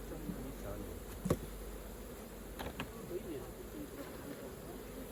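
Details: Continuous buzzing of honey bees around a hive as honey is collected, a dense low hum broken by a sharp tap and a few soft clunks from handling the frames.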